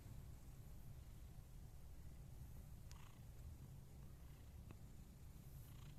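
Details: Scottish Fold cat purring: a steady, low rumbling drone continuing throughout, with a couple of faint clicks.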